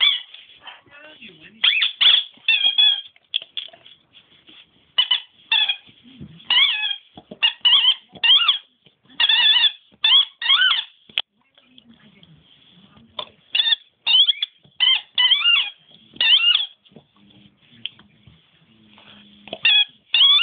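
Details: A dog named Nemo, which squeaks rather than barks, gives clusters of shrill, bending squeaks, often three or four in a row, spread across twenty seconds with low murmurs and quiet pauses between bouts.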